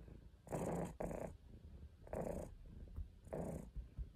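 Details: Caesar von Schwanheim, a house cat, makes deep, rough, growl-like rumbles in short bursts of about half a second, four of them, with a muffled, close sound.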